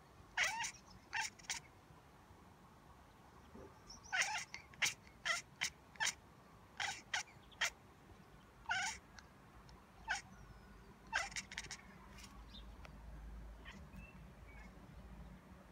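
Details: Domestic cat chattering at magpies: a long series of sharp, clipped clicking bursts, some in quick pairs and runs, with faint bird calls and quiet background hum.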